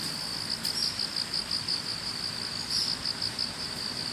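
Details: Grass insects singing together beside a road on an autumn morning, heard on the way to work: a shrill, rapidly pulsed trill running without pause over low ambient rumble.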